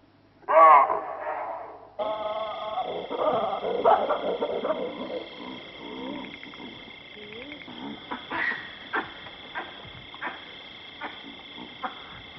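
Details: A chacma baboon in Kruger National Park barks a loud, harsh two-part 'wa-hoo' alarm call, abrupt at the start. Fainter grunts and calls follow over a steady tonal hum, likely from wind or machinery.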